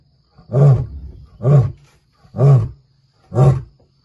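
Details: Male lion in Kruger, close beside a vehicle, roaring to mark territory and warn other males he is back; four deep, loud grunting roars about one second apart, each swelling and fading, no other sounds.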